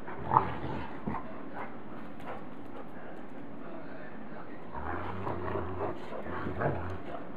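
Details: Great Pyrenees puppy Lucy wrestles with the adult dogs Maggie and Bogey, and Maggie sits on her to settle her. A quiet stretch is followed by deep, drawn-out growls in two bursts, with faint rustling between them.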